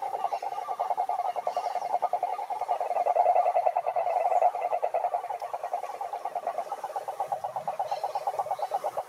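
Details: Cururu toads, Rhinella marina, calling at a lake in Brazil's Atlantic forest: a dense, steady pulsed trill holds a mid-low pitch across the whole stretch, with overlapping callers merging into one continuous rattling chorus.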